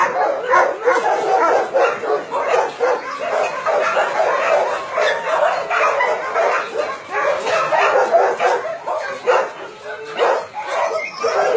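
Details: Dogs kept at a meat farm and puppy mill in Nonsan, South Korea, January 2017, roughly 150 animals of breeds such as Doberman and Golden Retriever, bark in a steady overlapping clamor of short, repeated barks.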